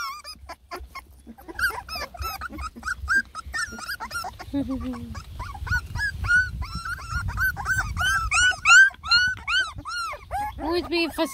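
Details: Fussy three-and-a-half-week-old Beagle puppies from a ten-pup lemon and tricolor litter try food for the first time, piping a quick string of high arched whimpers, with a brief lower voice and rumbling handling noise midway.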